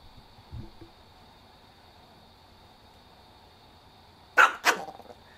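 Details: After a long quiet stretch with a brief murmur, Chihuahua Kohaku, angered by snake-fist mimicry, fires off two quick, harsh barks in rapid succession near the end.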